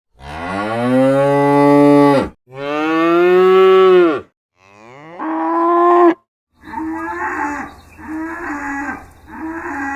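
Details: Cow mooing: three long, deep, drawn-out moos, then a run of shorter, rhythmic moos about every one and a half seconds.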